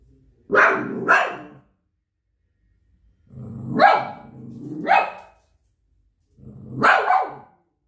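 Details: Shih Tzu dog barking in short bursts: a doubled bark, then a longer two-part bark with a rough, growly edge, then a final bark, separated by brief silences.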